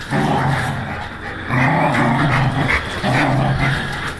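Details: Pit bull described as angry, growling in low rumbling bursts of about one to one and a half seconds, separated by brief pauses, with faint background noise.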